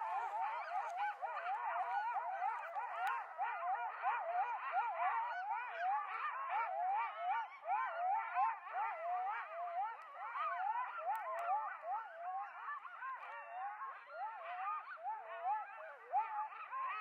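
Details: Several coyotes howl and yip together in a wavering, overlapping chorus around the recordist at Starbase.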